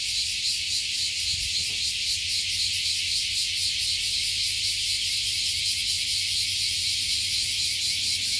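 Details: Chorus of cicadas singing in unison from a 50-year-old tree above Fukuoka Bay, Japan. A bright, unbroken high buzz pulsing rapidly and evenly, with a soft low murmur underneath.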